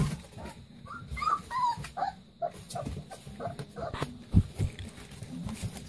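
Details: Playing Leonberger puppies make short, high whimpering squeaks in a quick series early on, then sparser yips and whines over rustling, thumping play noises.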